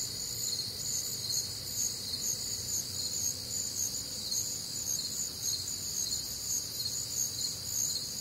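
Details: Many crickets singing together through a humid Midwestern summer night, a continuous high, shimmering chirp texture with rhythmic pulses and faint low background hum.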